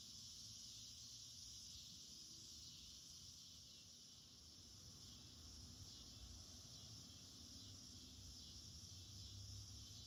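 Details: Cicadas chorusing all day in an August garden, a continuous shrill buzz holding steady over low rumbling background noise, likely an air conditioner.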